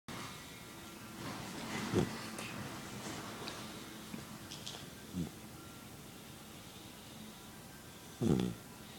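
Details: Little puppy sleeping and snoring indoors; short snorting snores at irregular gaps of three to four seconds over a low steady room hum.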